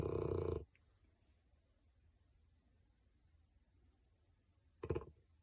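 A French bulldog snores with loud, rough, rumbling snorts separated by several seconds of quiet breathing.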